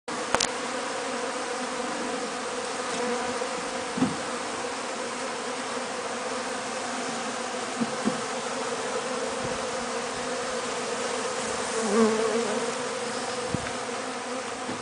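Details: Honey bees in a real hive as honey is harvested, a dense steady hum with bands near 250 and 500, broad rushing noise, and a few sharp clicks and knocks.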